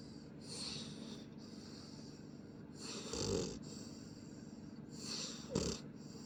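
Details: Shadow, a pit bull puppy, snores while asleep: soft rasping breaths with low rumbling and a hissy upper edge, a louder snore roughly every two to three seconds, indoors with a steady background hum.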